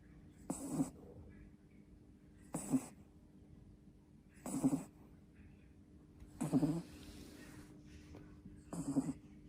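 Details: Two-month-old puppy asleep, snoring loudly: broadband snorts recur about every two seconds, each a short rasping burst with low tonal rumble, quiet hum between breaths.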